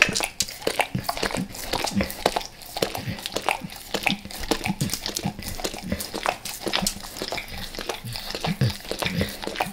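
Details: Max, a dog, devouring natural peanut butter and peanut butter oil before leaving El Paso: dense wet licking and smacking clicks, rapid and irregular, crowded together through the whole stretch, recorded indoors in a small room.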